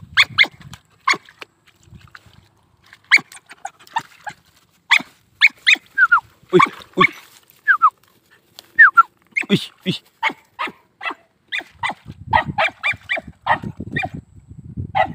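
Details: Hunting dog of the old Vietnamese native chó cỏ line barking in a rapid, sustained run of short, sharp barks, some with a rising whine, with low rumbling noise toward the end.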